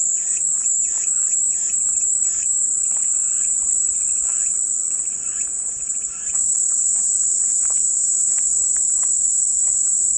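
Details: Calming cicada sound: a relentless high-pitched whirring chorus, steady in pitch, with a cluster of faint bird chirps during the first six seconds.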